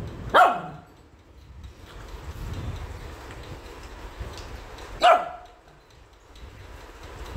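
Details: Angry Shih Tzu puppy being combed after a bath, letting out two sharp, loud single barks about five seconds apart, with quiet room noise and a person saying no in between.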